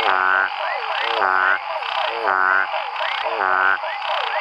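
A frog gives nasal, half-second calls, repeated roughly once a second, with faint rising chirps between.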